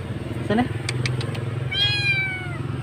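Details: A solitary roadside kitten, thought abandoned or separated from its mother, calls out during its rescue: a brief human voice and clicks precede one high, wavering meow with clear overtones, set against a constant low engine hum.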